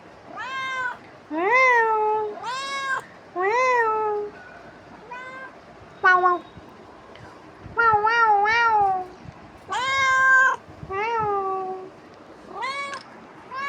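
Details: A pet cat making a nuisance of itself with a steady string of wavering, rising-falling meows, some short and some drawn out, separated by short silences.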